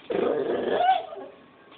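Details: Pet puppy making cute sounds indoors: a short, strained whining growl with a slight upward bend near its end, lasting about a second, then quiet.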